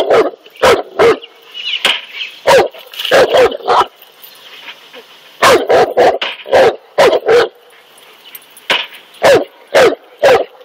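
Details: Cane Corso, a large guard dog breed, barking while confronting a king cobra; deep, punchy barks come singly and in quick clusters of two to four, about seventeen in all, with short quiet gaps between bursts.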